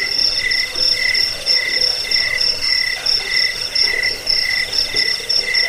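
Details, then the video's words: Jangkik cricket chirping, a recording meant to repel rats, lull listeners to sleep and train songbirds: shrill, steady pulsing in two high tones, short beats repeating rapidly over a faint hiss, no other sounds. "Suara jangkik pengusir tikus pengantar tidur"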